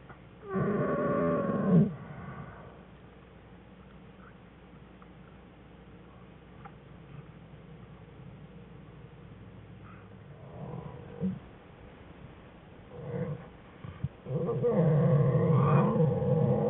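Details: Den recording of American black bear cubs whining, January 5, 2013, with mother Jewel: a whine opens the clip, a long quiet stretch follows with soft stirring and brief squeaks, then a sustained wavering whine closes it.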